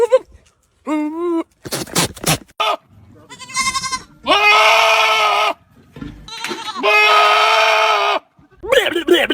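Goats give loud, harsh, wavering bleats, some drawn out like human screams, with bits of speech between.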